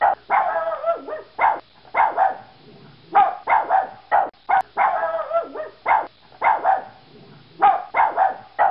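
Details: Yorkshire Terrier giving bursts of shrill, rapid yaps, often three or four in a row, alternating with drawn-out whiny barks, repeated steadily with short gaps and no background noise.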